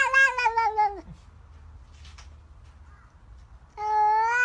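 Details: Domestic cat giving two drawn-out meows, the first lasting about a second and sliding downward at its end, then a quiet pause before a second, steadier meow begins.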